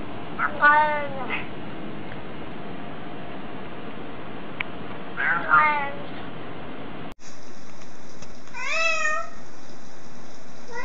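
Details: Cats greeting with meows: two quick wavering meows early on, then after a cut a single clear downward-bending meow, each with stacked harmonics, over steady room noise.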